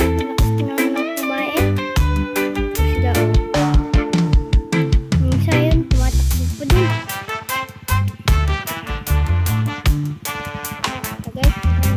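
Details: Loud upbeat music with a heavy bass line and bright rhythmic instruments plays throughout, with no animal sound standing out.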